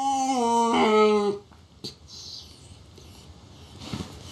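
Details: Puppy giving a loud, drawn-out tonal whine lasting over a second, steady then dropping slightly in pitch before breaking off, followed by near quiet with a sharp click and faint indoor rustling.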